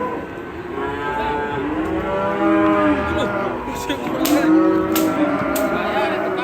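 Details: Raging cattle low continuously in deep, overlapping, wavering moos, several animals seeming to call at once, with a few sharp clanks or knocks in the later seconds.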